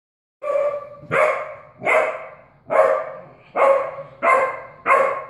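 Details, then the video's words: Puppy barking at a cat indoors, recorded in 2016 before any obedience training: seven sharp, harmonic barks at irregular intervals, each a bright burst with a quick fade, roughly one every 0.7 seconds. "puppy Raina barking at Boots kitty"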